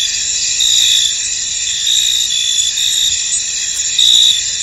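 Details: Crickets in a foggy field produce a high, shimmering wall of chirps; several louder trilled bursts of about half a second stand out above the constant insect chorus.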